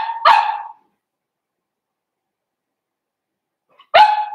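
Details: Litter of five blenheim Cavalier King Charles Spaniel puppies in an indoor home pen: two bright, sharp single barks nearly four seconds apart, separated by silence.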